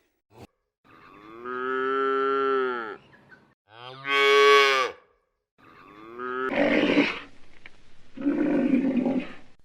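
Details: Cattle lowing: several moos of differing length and pitch, one higher and louder, the last two rougher and breathier, with short gaps between calls.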